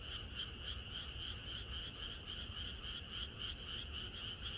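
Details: Rural night chorus of frogs before rain: countless overlapping croaks pulse quickly and evenly, forming an unbroken shimmering wall of sound above a soft low hum.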